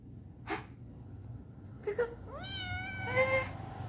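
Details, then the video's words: Domestic cat frightened of climbing back down after going up, giving a rising, harmonic meow in the latter half, preceded by brief faint sounds; low background hum throughout. "Funny cat, Going up is easy but going down is scary"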